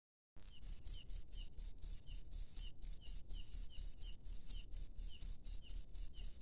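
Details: Wild cricket chirping at night: short, high, ringing pulses, about three to four each second, steady and evenly spaced after a brief silent start, with no other clear sounds.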